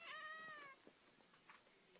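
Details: A cat gives one drawn-out meow of under a second, bright with many stacked overtones and gently falling at the end. Afterwards the room is quiet apart from a few soft knocks and rustles.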